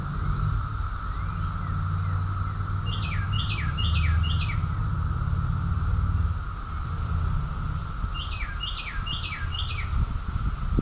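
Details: Rockville, Maryland, in June 2021, where a cicada chorus keeps up a constant level buzzing hum. Twice a bird breaks in with four rapid falling whistles, and soft high tsip notes are sprinkled throughout.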